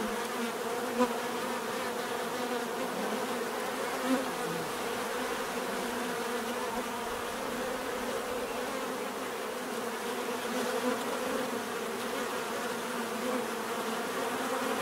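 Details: Bees humming in a constant, dense drone, pitch wavering slightly, with faint soft taps at a couple of moments over the even buzz.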